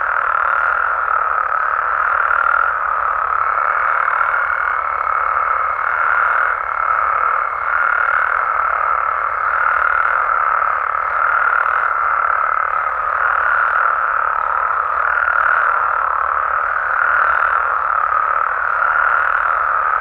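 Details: Many frogs and toads in Mexico calling together after dark. Their massed croaking swells and eases in gentle waves over twenty seconds, and a thin high tone runs through the middle stretch.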